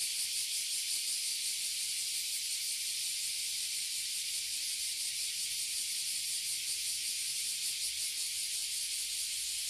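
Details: In Toyohashi City, Japan, a tree crowded with oily and bear cicadas, known locally as abura zemi and kuma zemi, gives a steady, harsh, hissing drone with a fast pulsing texture throughout.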